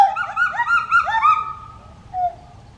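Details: A pileated gibbon family calls in a rapid run of rising, whooping tonal notes, about three a second. The notes slide down into a softer trailing note against a faint low hum.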